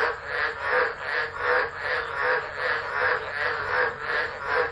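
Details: Chorus of tropical frogs singing through a tropical storm at Driver, Northern Territory, Australia, on 13 December 2013, recorded on a phone set down and left. Rhythmic swelling croaks pulse regularly, roughly once or twice per second, thick and unbroken.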